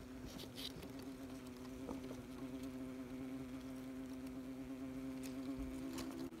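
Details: Close-up of a wasp nest full of busy wasps: a dense, steady mid-low buzz with a strong even hum and its harmonics, plus light tapping and crackling.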